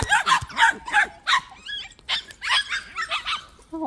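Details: Short burst of high yapping from white puppies at a plum orchard, a few clipped barks and a thin whine, with a person speaking close by.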